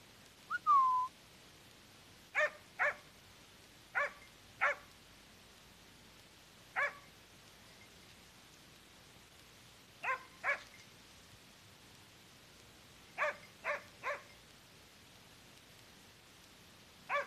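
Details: Hunting dog barking at a cornered wild boar during a hunt: a brief falling whistle opens, then loud single and paired barks come in bursts with pauses of several seconds, about sixteen barks in all.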